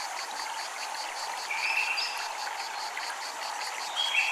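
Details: Japanese temple ambience with cicadas: rapid, evenly pulsed high buzzing throughout, a constant mid-pitched hum beneath, and short bright tonal streaks cutting in now and then.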